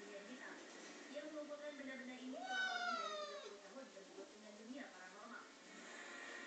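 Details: A single long, bending meow from Pulpy, the male house cat going crazy over a mop, sounds near the middle, while people talk softly throughout the room.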